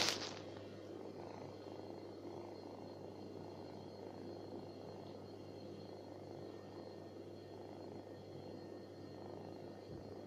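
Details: Stray cat living on the street purring close up, a soft continuous rumbling throb that holds steady for ten seconds beneath a constant low electrical hum, opening with a brief burst of handling noise.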